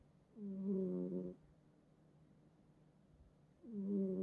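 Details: Sleeping house cat, one of several in the home, snoring in bed; two drawn-out, buzzy, throaty snores about three seconds apart, with near silence between them.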